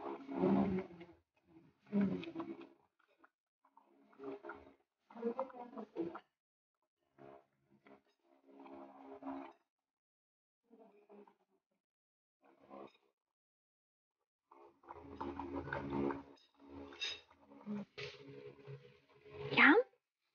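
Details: A French Bulldog grumbles and groans in throaty bursts while being fed carrot and banana treats, ending with a high rising whine.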